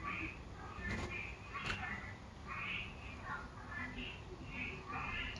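A frog gives short, nasal, voice-like notes, repeated roughly every half second over a low background hum.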